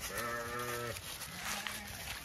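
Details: Zwartbles lambs galloping down into a new field on a farm in County Kilkenny, Ireland, on a sunny autumn morning; one steady, low, nasal bleat of almost a second, then a fainter, lower one, over wind and rustling noise.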